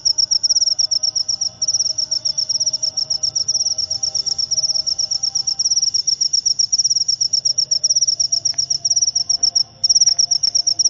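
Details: Shrill, continuous pulsed trilling from a cricket, locally called jangkrik upo, with brief pauses near the start and end and faint low rumbling noise behind.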